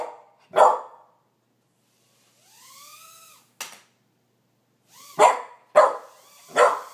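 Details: Karma and Skye, two puppies, react to a toy drone helicopter: a single bark, a pause, then a soft rising-and-falling tonal hum and a sharp click, followed by a quick run of three barks.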